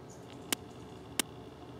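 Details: Two sharp, dry snaps, spaced under a second apart, from a large eyed click beetle clicking and flipping on a garden sundial by flower beds in McDonough, Georgia, on July 22, 2020.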